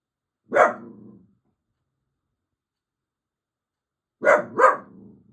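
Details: Grumpy young male dachshund barking indoors, unhappy at neighbours making noise: one short gruff bark, then a silent pause of about three seconds, then two quick barks in succession; otherwise quiet room.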